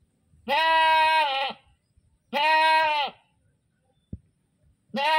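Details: Goat screams in long, level, nasal bleats, each about a second, repeated roughly every two seconds, three heard with a sharp click between them.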